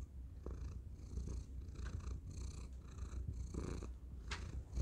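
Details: Low, even purring from Thor the cat, recorded on a tiny microphone, a soft steady rumble with gentle breathy pulses repeating about every second.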